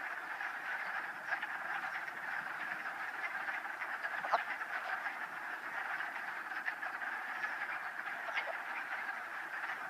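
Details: Wood frogs in a mating ball at a vernal pool east of Old Saybrook's Town Park, Connecticut, 13 March 2013. Continuous massed croaking, harsh and clucking, with individual louder calls standing out now and then above the constant chorus.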